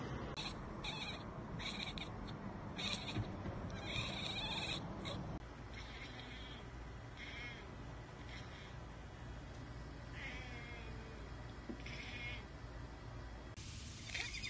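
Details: Cat chattering at a bird or insect out of reach: rapid clipped ekekek bursts repeated in quick succession over a steady background hiss, with a few faint chirps later.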